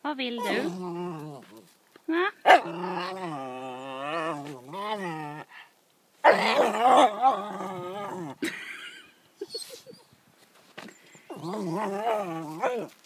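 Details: A male Yorkshire Terrier "talking" to his owner, making long wavering whiny yowls that slide up and down in pitch, in several drawn-out bouts separated by short silences, with some short muffled sounds between.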